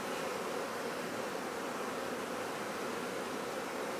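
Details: Bees at a bee farm for honey cultivation, a dense continuous humming buzz with a steady mid-pitched drone and hiss, no pauses or breaks.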